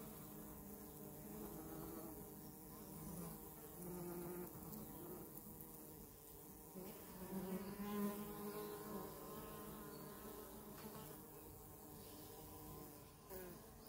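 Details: Honey bees recorded close up: a steady, low droning hum with layered overtones, swelling slightly in loudness around the middle as individual bees pass nearer, over a continuous buzzing background.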